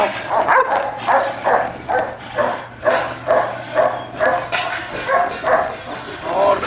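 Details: Scarface, a German Shepherd under evaluation for personal protection work, barks steadily and forcefully, roughly two barks a second in an uneven rhythm, with a man's voice talking underneath.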